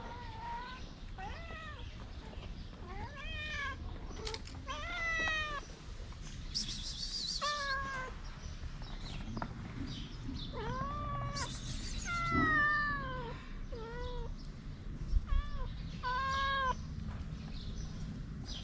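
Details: Street cats, a mother cat with her shy kittens, living outdoors as homeless feral cats. Repeated arching meows sound about every second, rising then falling, with clear harmonics. Rustling in the background.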